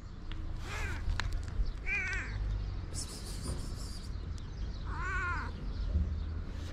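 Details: Blue-eyed white stray cats, hungry, on a street in Morocco; several short wavering meows spread through the clip, the clearest near five seconds, amid rustling, clicks and a low urban rumble.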